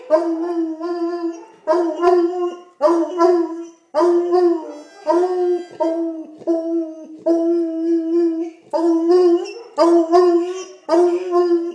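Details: A hound baying in long runs of sustained, rich-toned howls, about one each second, some slurring and cracking at the ends, closely spaced with brief gaps between them.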